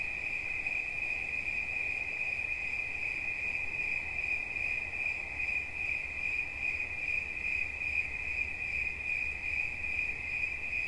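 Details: Cricket singing an unbroken, high-pitched pulsing trill for over ten seconds, the tone constant and ringing, with a soft low hum in the background.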